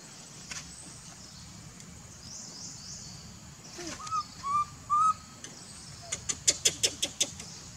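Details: Baby monkey calls its mother to give it milk. Three brief, pure-toned coos rise and level off in quick succession, followed by a rapid run of sharp clicks or taps, with a constant high insect drone behind.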